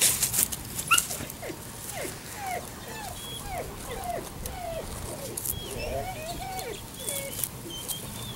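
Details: Whimpering from seven-week-old Labrador Retriever puppies: a run of short, thin whines that slide downward, repeated about every half second, with a few higher squeaks and faint rustling behind.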